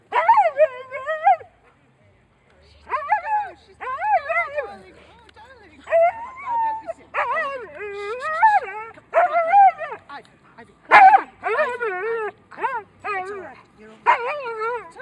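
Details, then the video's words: Alaskan Husky, nervous in a park, keeps up a whiney song of wavering, rising and falling yowls, many short bursts in quick succession, with people talking in the background. "Funny whiney Husky in the park"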